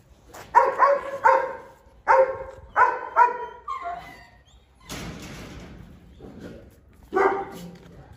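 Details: Chained Presa Canario called Xiuluo fiercely guarding a meal of chicken racks: a fast run of about seven loud, clipped barks, then scuffling and rustling noise, and one final bark near the end.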